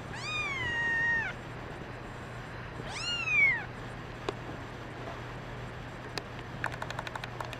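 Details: Brown mackerel tabby and white female kitten, one of several kittens, meowing twice: a long level cry then a shorter rising-falling one, followed by soft taps and clicks over a faint steady hum.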